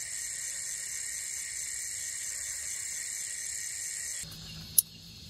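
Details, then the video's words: Crickets at night in the wild near Panorama Alam Hill, Salak Mountain, Bogor, West Java, Indonesia, during solo overnight camping; a steady high shrill trill for about four seconds, then it cuts off, leaving a low hum and one sharp click. "SOLO OVERNIGHT CAMPING IN THE WILD WITH SOUNDS OF FROGS CRICKETS AND STRONG WINDS"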